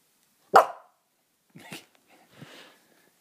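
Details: Lhasa Apso dog playing at home with a toy, giving one sharp, loud, short bark, followed by a couple of softer low huffs or muffled sounds in a quiet room.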